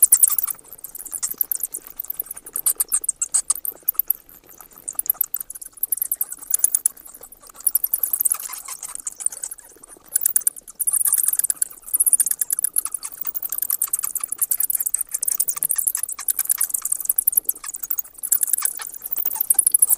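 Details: Bats chittering continuously for twenty seconds, rapid high squeaks and clicks in dense waves with short pauses, shrillest bursts near eleven and eighteen seconds.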